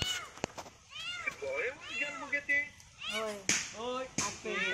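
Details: Meows from a kitten trapped atop a long, slender tree as it is rescued, several arching cries alternating with lower voices and a few sharp knocks.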